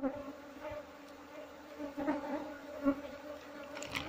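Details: Honey bees humming while a wild colony is being moved into a box: a steady low drone with an overtone held throughout, overlaid by brief clicks and a man's speech nearby.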